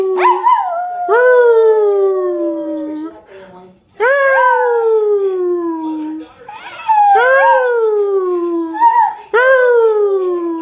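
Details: Domestic dog howling together with its owner: about five overlapping, sustained howls that rise briefly then sag downward, voices interweaving, with short gaps and a soft whimpering note between them.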